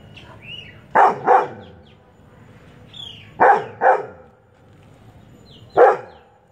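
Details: Labrador Retriever barking in irritation at chirping birds: barks come in doubled bursts followed by a single one, with high whistled bird chirps in the pauses.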